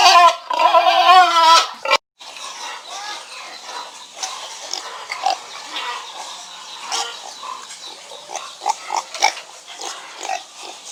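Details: A pig opens with an intense, warbling squeal for about two seconds, then a sudden cut gives way to a quieter stretch of scattered grunts, snuffles and clicks against faint noise.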